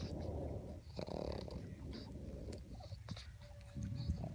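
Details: Juno, a female pet pug, plays with an unfamiliar treat before eating it: low, rough, rumbling growl-snorts in two long bursts near the start, a quieter rumble later, with scattered chewing clicks and faint background hiss.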